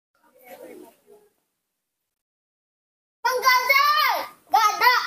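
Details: Baby monkey Nomi calling because his father is not nearby, indoors: after a faint murmur and silence, two loud tonal cries rich in harmonics, the first held for about a second and sliding down at the end, the second shorter.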